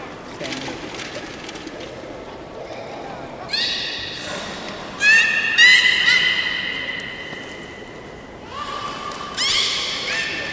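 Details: Captive beluga in a public training session at the Port of Nagoya Public Aquarium, 18 July 2016, 13:30 session: after quiet talk in a large hall, a series of bright, buzzy, rising whistles with rich overtones, some held for several seconds.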